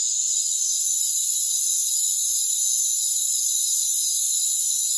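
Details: A rainforest cricket chorus: unbroken, high shrill trilling in several stacked bands, holding an even loudness throughout with nothing deep underneath.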